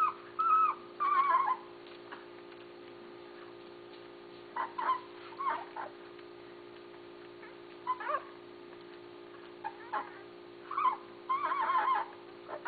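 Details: Basset Hound puppies, the litter of Mia and Tucker, recorded June 6, 2013: short high whines and squeaky yelps in scattered bursts with pauses between, over a steady low electrical hum.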